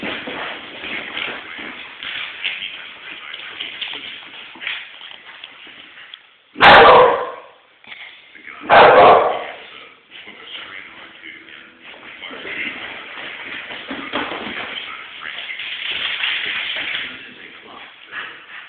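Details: Alex, a Wheaten Terrier, chasing a person around the house indoors: two sharp, loud barks a couple of seconds apart stand out over steady background noise and low murmuring.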